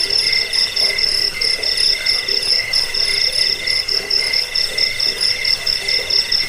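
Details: Cricket chorus used to repel rats, help with sleep and train cage birds: continuous high-pitched, rapidly pulsed trills from several insects layered together, throbbing softly in loudness with no pauses.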